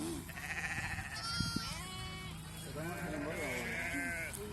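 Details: Sheep from a flock being vaccinated against PPR, with suckling lambs separated into a net: wavering bleats with harmonic bands, mixed with people talking and background music.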